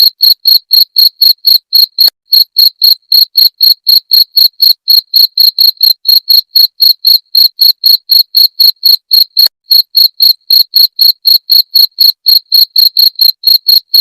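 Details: Rat-repelling cricket call: a long, machine-like run of piercing chirps, roughly four per second, each short and ringing, with two faint clicks along the way and no other noises.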